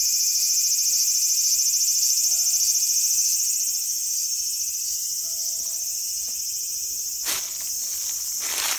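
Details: Cicadas calling in a small garden on August 5, 2020: a continuous, even, high-pitched buzzing drone. Faint short low tones recur throughout, and a brief knock sounds near the end.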